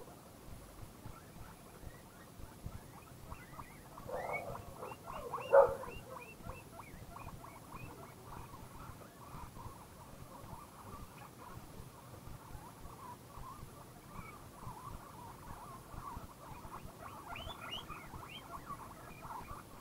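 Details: Guinea pig vocalising out of happiness: quick runs of short, squeaky chirps, the loudest burst about four to six seconds in, then another rapid chirping series near the end, over a soft low rumble.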